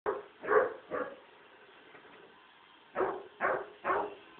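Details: Duke, a young Basset Hound puppy afraid of a robot vacuum cleaner, gives sharp barks in two bursts: three near 0.5 to 1 second, then three more evenly spaced from 3 seconds, with a low steady hum between.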